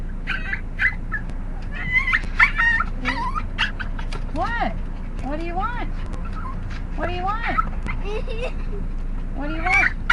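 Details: Dog producing its odd, funny noise whenever its owners go out for cigarettes: a run of squeaky, bending whimpers and yodel-like yelps sliding up and down, some short and clipped, with a woman chattering over them indoors.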